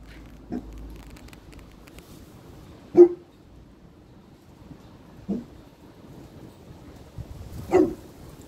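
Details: Boerboel puppy on guard, giving four short, sharp single barks spaced roughly two to three seconds apart, with a quiet background between them.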